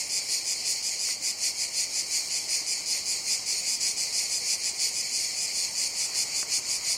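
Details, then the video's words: Steady high buzzing drone of cicadas, shimmering with rapid rhythmic pulses near three per second, unbroken for seven seconds, with a faint brief click near the end. "Sounds of Cicadas"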